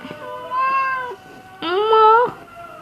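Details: Orange house cat talking back when told to go to sleep, giving two drawn-out harmonic meows, the second louder and rising slightly, separated by a short pause; faint background music.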